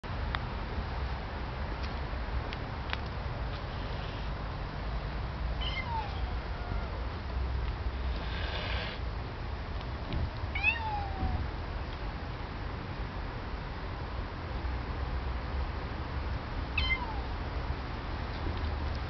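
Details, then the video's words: A domestic cat that first hissed fearsomely, then meowed plaintively like a small kitten. Several soft, short, downward-sliding meows are spaced a few seconds apart over a steady low rumbling background, with one brief breathy burst in between. "Кот шипит"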